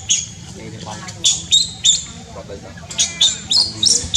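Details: High, sharp squeaks from a newborn monkey infant in Cambodia, short chirped notes about three per second in uneven clusters, with a faint low hum underneath.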